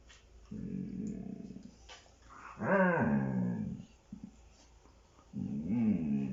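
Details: A Siberian Husky play-fights with a child indoors and lets out bear-like growls: a steady low growl, then a louder rising-and-falling grumble, and another wavering growl at the end, with faint rustling between.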